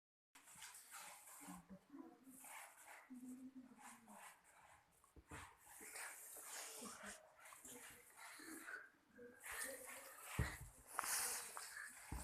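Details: Husky puppies making soft, irregular whimpers and short yelps at low volume, mixed with human voices and handling noises throughout.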